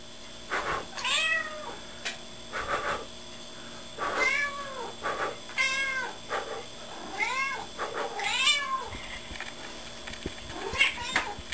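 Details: Gertrude, a pet cat kept indoors for over nine years, meowing in reply when her owner makes a blowing noise: a run of arched, drawn-out meows roughly every one to two seconds, mixed with soft blowing sounds and a steady background hum.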